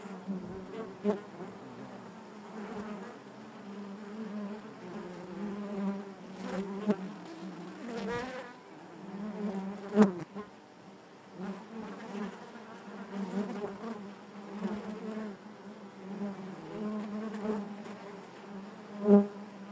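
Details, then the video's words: Natural buzzing of honey bees within the hive: a steady, layered hum that stays fairly even over twenty seconds, punctuated by a few sharp clicks and short louder swells. "bees therapy hive natural buzzing sound"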